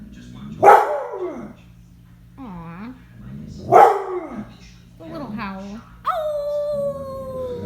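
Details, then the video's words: Pet dog howling on request for its owner, who asks it to do a puppy, an old dog and a cow: two short rising-falling howls about three seconds apart, with a woman's playful voice between them and a steady tone near the end. "Making animal sounds and howling"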